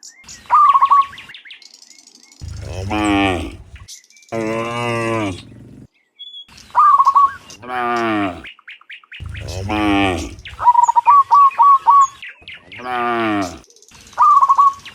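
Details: Morning return of cows from the field to the barn. About five long, deep, harmonic moos spread across the recording, mixed with frequent bursts of rapid, high, repeated chirping.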